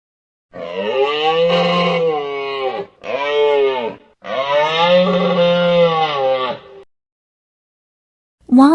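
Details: Moose (Alces alces), call.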